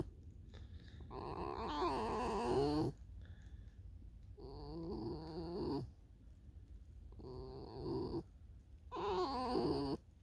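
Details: Tame fox outdoors in falling snow, leading the person toward a field; four drawn-out, whining, wavering vocalisations with bending tones, each lasting one to two seconds, separated by short quiet gaps.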